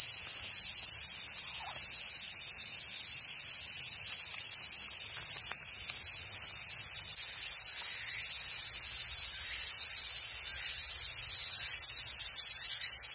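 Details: Cicadas singing in summer at a monkey park in Sumoto, Hyogo, Japan, on Awaji Island: a dense, unbroken high-pitched hiss fills the whole recording, steady in loudness, with a brighter layer joining near the end.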